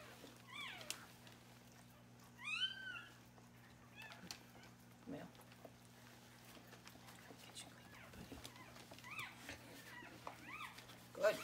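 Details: Newborn male Australian Shepherd puppy, just born and being cleaned up, giving thin, high squeaky cries, short and scattered, several in quick pairs, over a steady low hum with a woman softly talking to it.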